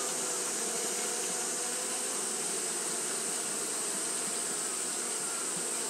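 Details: Steady fanning hum of Japanese honey bees on a hot day, a loud, continuous whirring drone with a faintly pulsing texture and a hissing high edge throughout.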